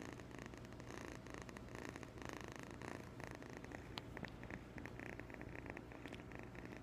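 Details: Kitten aged 8.5 weeks purring steadily, a continuous low vibrating rumble pulsing in short surges, with a few faint clicks and rustles near the end.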